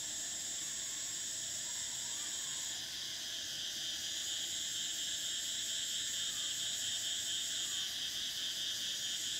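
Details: Cicadas of summer in a dense, steady electric buzz, layered bands of high shrill tone with an upper band that cuts out briefly and resumes, droning without pause across the recording.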